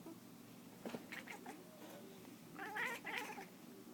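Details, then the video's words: Domestic cat chasing a laser pointer, giving weird noises: quick, clipped, raspy chattering bursts in uneven runs, a brief spell near the start and a denser cluster toward the end, over a low steady hum. "Cat making wierd noises"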